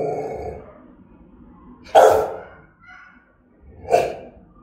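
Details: Rottweiler of German-type breeding giving threatening, aggressive barks: two deep, explosive, harsh barks about two seconds apart, separated by quieter breathy huffing and low rumbling sounds.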